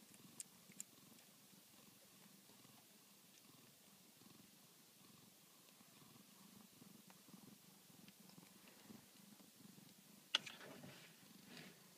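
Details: Soft, continuous low purring from newborn Tonkinese kittens, Minerva's litter, with gentle rhythmic pulses, a couple of early clicks and a brief sharp tap near the end.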